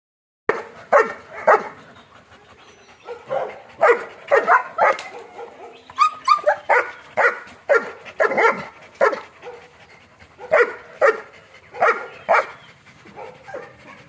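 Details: German Shepherds at a kennel, long coat and short coat dogs, giving loud sharp barks in ragged bursts of about two per second, several overlapping, steady for fourteen seconds with little background noise.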